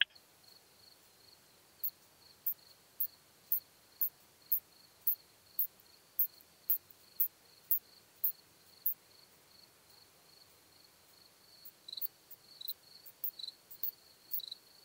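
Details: Curve-tailed plump bush-cricket at Hohenbrugg an der Raab, Austria, 4 June 2021: faint, very high, sharp ticks repeated about three times per second over a steady hiss and a thin continuous tone, resuming more raggedly near the end.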